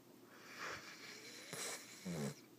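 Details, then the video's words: ['Vizsla dog snoring while asleep indoors: soft breathy rasping snores, then a louder nasal snort with low buzzing tones near the end, in a quiet room.'] "Snoring Vizsla"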